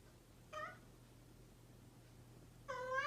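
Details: Domestic cat, described as a mischievous cat, giving two short meows: a brief nasal call near the start and another rising one at the end, with quiet gaps and a steady low hum underneath.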